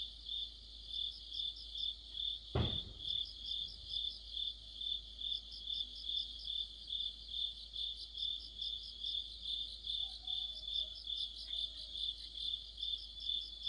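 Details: Crickets chorusing in autumn, with regular shrill chirps repeating about twice per second over higher, rapid trills; a single sharp knock cuts through early on, then the steady pulsing continues.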